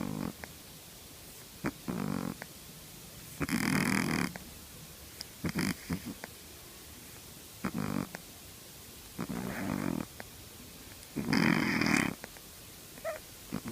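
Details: A three-month-old Shih Tzu puppy snores in rough, raspy bursts, each breath a short rattling rumble.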